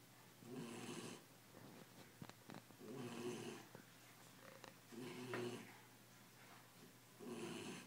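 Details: Belgian Malinois puppy at ten weeks, asleep after tiring out, snoring steadily indoors: four rough, buzzy breaths evenly spaced about every two seconds, with small clicks and rustles between snores.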